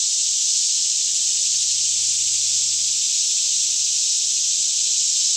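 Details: A Kentucky forest near Franklin resounds with a daytime cicada chorus around 10am in calm air, filmed with a Canon 5D Mk2 in stereo; an intense, seamless high hiss-like buzz holds steady from start to finish.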